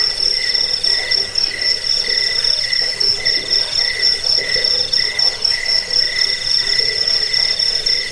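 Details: Cricket chirping offered as a sound to drive away rats, lull listeners to sleep and tutor songbirds: shrill, high pulsed trills in rapid, slightly uneven bursts, with several overlapping voices forming a dense, continuous chorus.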